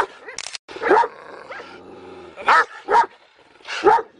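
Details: Two giant Kangal shepherd dogs from Turkey giving deep, loud barks in short separate bursts, about four over four seconds, with a brief human voice at the start.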